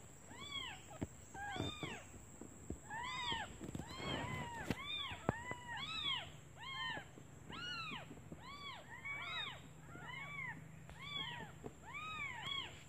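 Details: Hungry newborn kittens cry for their mother while she is away searching for food; a steady stream of short rising-falling mews, roughly two per second, overlapping voices over a low hum and faint background noise.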